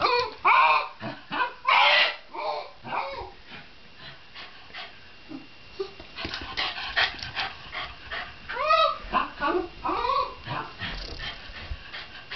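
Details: Shiba Inu giving a run of short whining yips and rising-then-falling howled notes. The calls come in uneven bursts, louder at first, then softer and more broken. Faint human voices are audible underneath.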